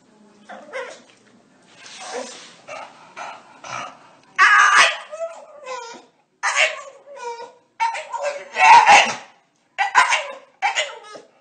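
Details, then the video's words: A talkative dog lets out rough, grumbling barks and throaty growl-like bursts in irregular clusters, with a person's voice and laughter in a small room. "Talkative dogs"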